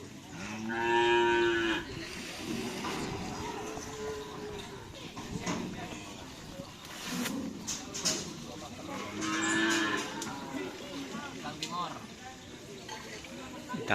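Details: Cattle at a karapan sapi bull race training session at the Asemanis field in Pamekasan, with team Singo Barong (Can Macanan): a loud drawn-out harmonic moo near the start, a second moo later, over constant crowd chatter and outdoor noise.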